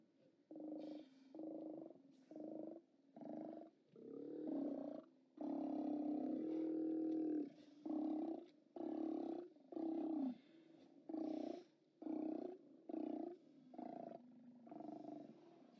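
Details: Deep, guttural roars from Steller sea lions at the OrcaLab haulout, filmed by live cam on 29 October 2017. Short bursts repeat about once a second around one sustained bellow, with several animals calling over one another.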